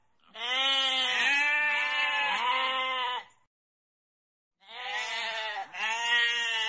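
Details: Goat (Capra hircus), bleat.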